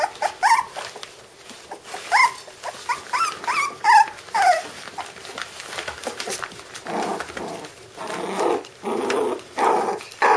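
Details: Candie and Kevin's puppies at five weeks old give rising and falling squeaky whines for several seconds, then shift to harsher, noisy bursts like rough puppy growls repeated about every half second.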